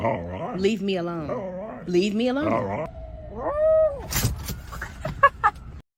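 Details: A dog producing weird yodelling, howl-like sounds: rich wavering tones rising and falling over nearly three seconds, then a single arched whine, followed by clicks and thumps.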